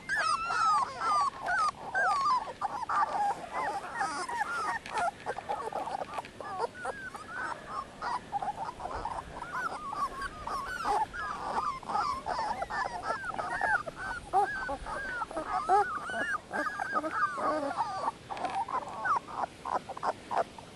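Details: Dogo Canario puppies, 18 days old, a litter: a continuous chorus of many high, wavering whimpers and squeals, overlapping and rising and falling without pause throughout.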